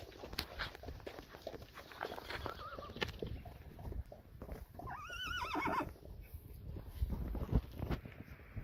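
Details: Friesian horse herd of mares and foals being let outside onto grass after training, in perfect weather; a brief wavering whinny near the third second, then a longer quavering neigh falling away over two seconds, amid steady clattering hooves.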